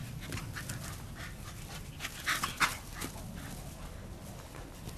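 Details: One of three dogs, the oldest almost 13, playing with a flirt pole; quick hoarse panting, about three breaths a second, with a few louder rasping gasps in the middle amid low background rumble.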